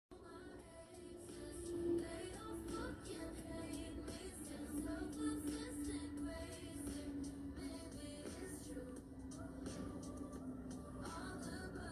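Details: Soft background music with a sustained sung melody line throughout, and no animal voice.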